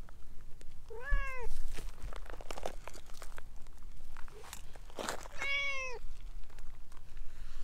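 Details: Two drawn-out meows about four seconds apart from a talkative ginger tabby stray pressing against a person's legs, rustling footsteps and steady low rumble in the background.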